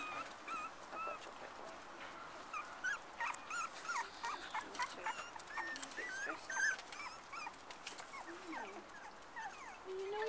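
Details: A litter of black and black-and-white Cocker Spaniel puppies playing with each other and their mother; thin high squeaks and whimpers scattered throughout, several overlapping, with soft rustling underneath.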